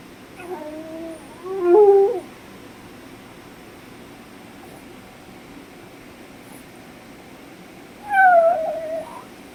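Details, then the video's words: A puppy missing its owner indoors gives two short, wavering whimpering cries about six seconds apart, each a brief rising-then-falling whine over a faint steady room hum. "Puppy dog Lucky #howling"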